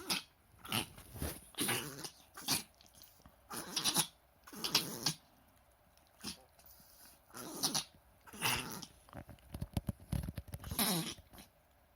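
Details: Pet Chihuahua indoors in a bout of reverse sneezing that recurred many times that day and looked distressing; later X-rays showed healthy trachea, lungs and heart. Harsh, noisy snorting gasps in quick clusters, about a dozen bursts with short quiet gaps between.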